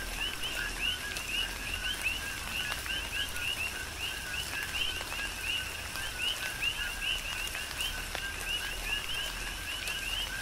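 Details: Chorus of coqui frogs on Hawaii's Big Island in tropical rain, many frogs repeating rhythmic two-part chirps, a low note followed by a high upswept one, with raindrop taps and steady rain noise underneath.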